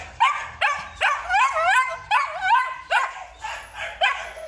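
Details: Male Belgian Malinois giving about eight yelping barks over a few seconds, each one tonal and bending up then down in pitch, with short gaps between the loud onsets.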